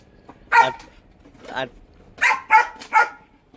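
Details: Hunting dog from a household pair named Danny and Tommy, kept for rabbit hunting, gives sharp harmonic barks: one early bark, then a quick run of three near the end, with a man's voice speaking in between.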